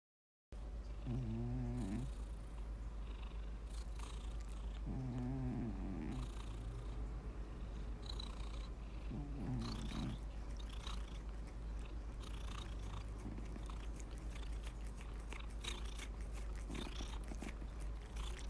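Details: Domestic cat snoring: low, droning harmonic rasps with each breath, recurring about every four seconds, softer toward the end, against a steady low hum.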